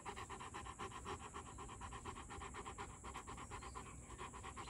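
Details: Two-year-old male pet Rottweiler panting: rapid, even breathy pulses, about four per second, held steady throughout with no barks or other voices.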